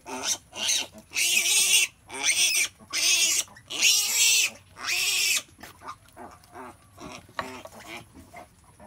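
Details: As a mother pig gives birth, long shrill squeals follow one another, each about half a second to a second, in a run of five. Fainter, shorter squeaks and grunts trail off afterward.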